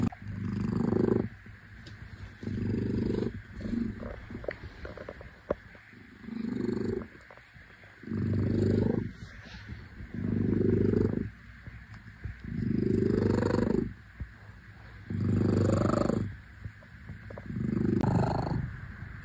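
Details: Low, rumbling purr from Shufen, a domestic Lihua shorthair cat. The rhythm is uneven at first, then settles into regular one-second swells of inhale and exhale. A faint soft rustle is heard in the middle.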